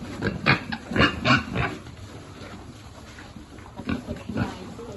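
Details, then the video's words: Piglet on a pig farm being fed: bursts of short, harsh grunting squeals in a quick cluster early on, a quiet pause, then a few more rough grunts near the end. "Feeding lovely piglet"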